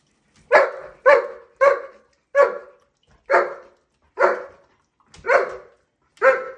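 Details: German Shepherd barking at shower time: eight sharp, loud barks spaced roughly every half to one second, each a short burst with strong mid-range harmonics, over a quiet background.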